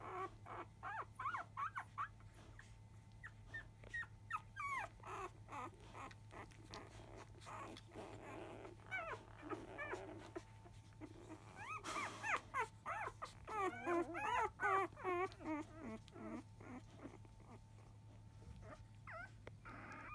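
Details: Several five-day-old field-type Labrador Retriever puppies from biscuit's litter, a 2017 JFA Grand Champion mother, in an uproar at the start of an early-afternoon feed. Overlapping short squeaks and wavering whines build to a busy peak midway, then thin out.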